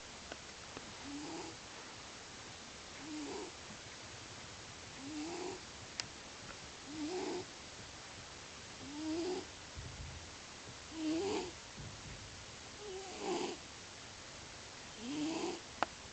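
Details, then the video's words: Sleeping male domestic cat snoring loudly indoors. It habitually snores while asleep. Throaty, rising snores repeat about every two seconds in a steady rhythm over a faint room hiss. "Cat is snoring loudly"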